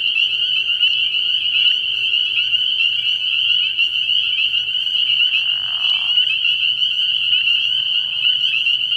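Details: Spring peepers massed at a frog pond at night in early spring, their shrill peeps fused into a ceaseless ringing drone. A short soft rushing noise rises briefly midway.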